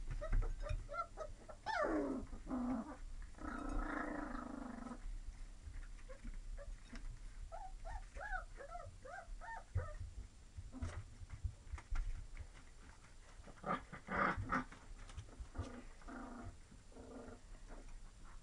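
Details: Lab and Retriever mix puppies whine and whimper, a drawn-out nasal whine early on, then a quick run of squeaky rising-falling whimpers near the middle, with scattered shuffling and bumping noises and a low background hum.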